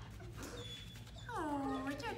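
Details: A German Shepherd reunited with its owners gives a high, falling whine. It slides downward over about half a second, while a person talks in the background.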